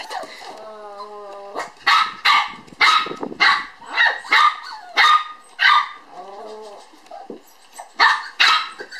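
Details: Playful toy poodle sister puppies, born 9 July, at a Kyoto breeder: a thin rising whine opens, then a run of about eight sharp high-pitched yaps in quick succession, a short whimper, and two final barks.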